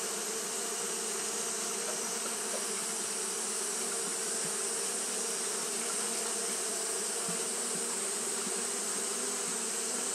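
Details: Continuous collective buzzing of Japanese honey bees fanning through a hot day, an even, unchanging drone of many wings with hissing high overtones and no other sounds.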